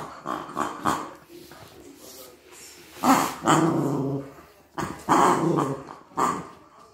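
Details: Maltese dog, scared of a new toy it is playing with for the first time, gives short throaty growls and yappy bursts in two clusters around the middle and end, between quieter rustling.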